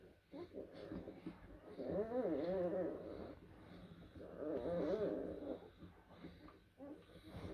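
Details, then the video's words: Blue Great Dane puppies from April 2023 litters at a kennel, heard indoors in a small room: two drawn-out, wavering whimpering groans that rise and fall, around two and five seconds in, with soft snuffling breaths between them. "Great Dane Blue, Puppies"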